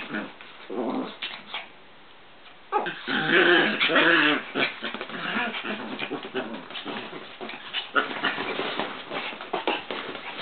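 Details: Two Chihuahuas wrestling in a work room: bursts of rough, throaty growling and snarling with short yelps and scuffling, loudest between three and five seconds, then continuing in choppy, uneven pulses.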